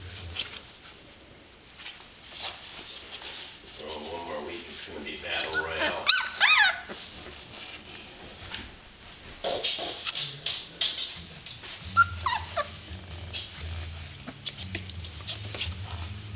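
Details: Litter of 18-day-old puppies making thin, high whimpers and short squeaky yelps in scattered bursts, with rustling and a person talking in between.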